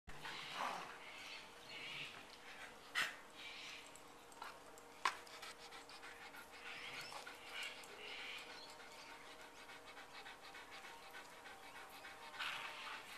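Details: Dog panting among two Boxers and a Schnauzer, hours after a 12-kilometre walk; soft breathy bursts of hiss repeat every second or two over a faint steady hum, with a couple of sharp clicks.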